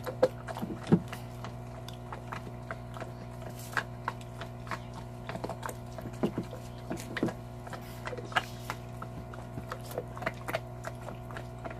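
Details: Cow bone being eaten by Salta, a big Belgian Malinois shepherd dog; irregular woody snaps and crunching clicks, some in quick clusters, against a constant low hum.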